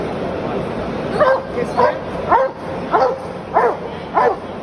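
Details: Belgian Malinois barking: six sharp, mid-pitched barks in a steady series roughly every half second, each with a quick rising then falling bend, over a constant background hiss.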